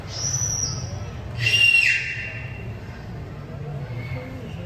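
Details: Captive beluga whale playing with its toys, giving a bright whistle that starts high, drops and levels off into a steady tone lasting about half a second, with a short squeak before it over a low rumbling background hum.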